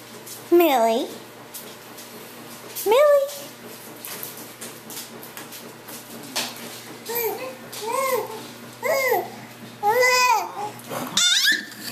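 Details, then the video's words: Pet dog making what its owner calls dolphin noises, recorded 1 February 2011 at 3:43 pm: short high, squeaky whines that swoop up and down, spaced irregularly, with a woman's voice calling the dog beforehand. "Millie making dolphin noises"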